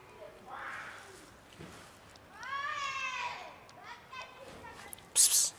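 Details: Three black cats invited to dinner on a bench. One drawn-out meow rises and then falls over about a second, after a softer cry near the start. Sharp hissing bursts of noise come at the close.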